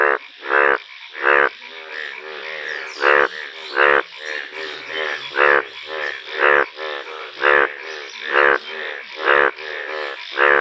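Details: Yellow Indian bullfrogs in a calling chorus: strong, harsh croaks spaced about a second apart stand over a continuous murmuring background of many softer croaking frogs.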